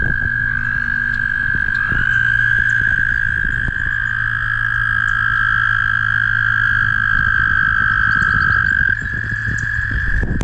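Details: Noisy mating toads along Guildwood waterfront, passed on a ride, trilling continuously: sustained high, even, buzzing trills from more than one caller overlap and shift slightly in pitch for the whole stretch, over a low rumble of wind or traffic.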